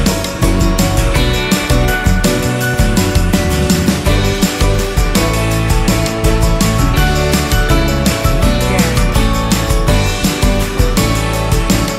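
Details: Loud rock-style music with steady drums and guitar runs throughout, with no animal voices heard.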